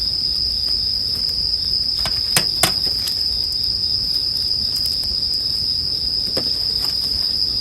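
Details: Bell crickets in a sleep-music mix with a bonfire: a steady, high, ringing insect tone holds without a break throughout, while sharp crackles and pops from the burning fire break in, clustered near the middle.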